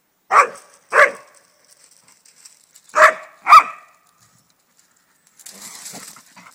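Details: An unhappy Alaskan Malamute confronting a swan walking through its garden gives four sharp, broadband barks in two pairs, followed by a softer rustling noise.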